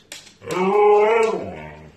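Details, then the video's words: Pet Siberian Husky named Indy, indoors, talking back to its owner with a drawn-out, tonal, howl-like vocalization of about a second that rises and then falls. A woman's voice questions it just before and after. "husky dog talking to owner says HELLO"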